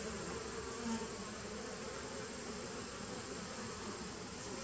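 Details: Honey bees in a nuc colony dating from 2017, recorded 19 September 2018: a steady, dense, low buzzing hum with a faint constant high whine above it, even in loudness throughout.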